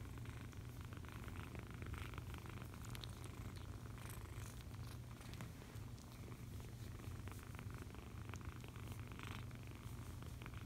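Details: A foster kitten purrs contentedly during cuddling, a dense low vibrating drone without pause, overlaid by soft rustling and occasional light taps.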